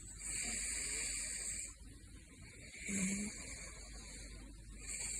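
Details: Gosha, a caracal, snores in his sleep with airy, hissing breaths, one with a brief low rumble.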